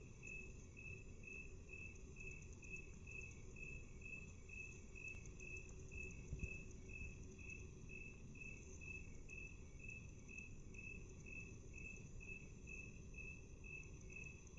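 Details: Cricket chirping, slowed to half speed: short pulsed chirps repeat steadily about twice per second over a constant high whine and a dense low rumble of background noise.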